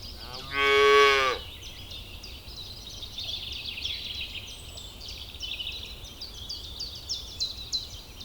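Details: Grazing cow in a ripening rice paddy lets out a single strong, drawn-out moo of under a second, then high chirping birds and insects fill the background for the rest of the recording.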